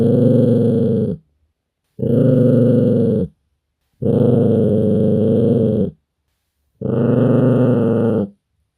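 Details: Pet dog growling as a warning that it is losing patience and unhappy: four long, rough, low rumbling growls of about a second each, separated by short pauses.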